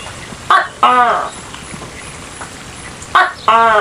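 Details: Two close calls from a tokay gecko, each opening with a sharp short bark and ending in a sustained, harmonically rich nasal croak, over a soft steady hiss.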